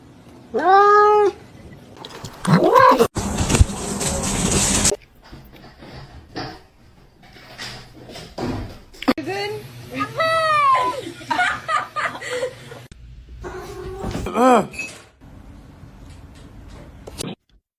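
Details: Kitten giving several short, arched meows scattered through eighteen seconds, mixed with people talking, a burst of loud hissing noise and scattered knocks and handling sounds.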